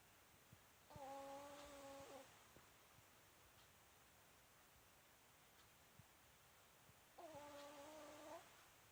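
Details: Myu, a sleeping female Pomeranian, gives a loud whistling snore. Two level, reedy tones each last about a second and a half, about six seconds apart, with faint ticks between them.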